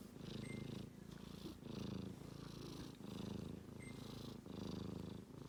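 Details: Sleeping kitten snoring in a home with rescued cats, Japan: soft low rhythmic rumbling breaths in long pulses about every 1.5 seconds, steady and purr-like, with faint background hiss.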